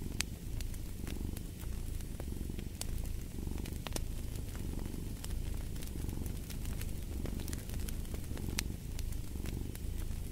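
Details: Domestic cat purring close by, a deep vibrating rumble in gentle waves of roughly two seconds, accompanied by intermittent crackles and snaps from a fireplace.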